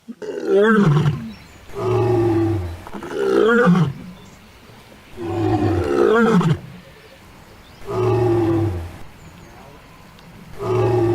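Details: A lioness in the African savanna gives deep, powerful roars, each a long moaning bellow repeated every few seconds; her roar carries several kilometres and serves to locate pride members, signal position or answer distant calls.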